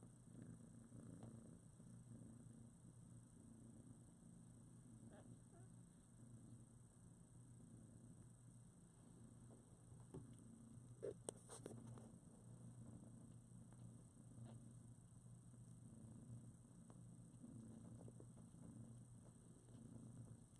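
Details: A mother cat and her newborn foster kittens, around two weeks old, snuggled together. Steady, deep, even purring runs throughout, with faint clicks and rustles of moving bodies.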